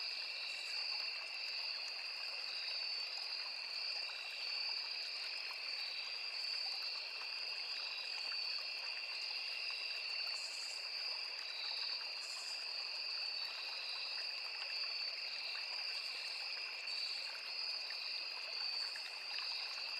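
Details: Crickets, cicadas and other insects in forest beside a small river: a steady piercing trill chorus, the higher band pulsing rapidly, with short faint buzzes recurring every couple of seconds, set against constant flowing-water sound.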